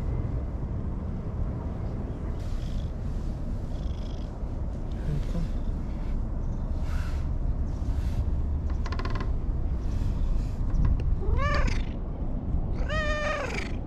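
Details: Anko, an orange-and-white stray, friendly and clingy beside a lake in the evening sunset in Japan; after rustling and soft low sounds come two clear meows close together near the end, over continuous low background noise.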